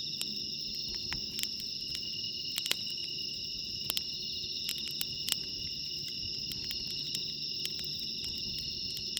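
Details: Bell crickets singing at night beside a campfire at JUTE CAMP FIELD, Japan, on a mild 23°C evening; steady high ringing tones in several layered bands, with sharp crackles and pops from the burning fire throughout.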